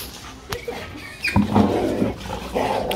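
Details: Two Labrador Retrievers, over-excited during indoor play that turns into a small fight: a sharp yelp, then rough snarling growls and grumbling barks that build and continue, with music in the background.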